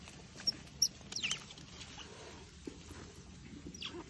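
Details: A baby otter, play-fighting with a person, gives very short, sharp, high squeaks and chirps, clustered early and then one more near the end, over soft rustling and handling noise.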